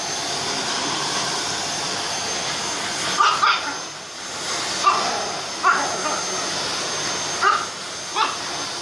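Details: Chihuahua fighting a vacuum cleaner, which drones loudly and continuously throughout. After three quiet seconds, a run of about six shrill, clipped yaps follows, roughly one every second, some doubled.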